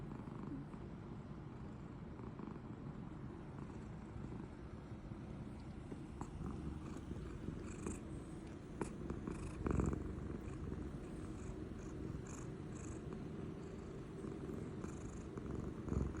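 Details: Toranosuke, a pet cat, snoring while fast asleep with fellow cat Mego close by; a steady low rumbling drone runs unbroken through the whole stretch, with a few faint clicks and rustles above it.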